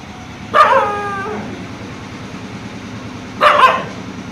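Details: Dog barking in daytime after seeing a fox: two loud, harmonic barks about three seconds apart, the first drawn out into a falling whine, with a low steady hum behind.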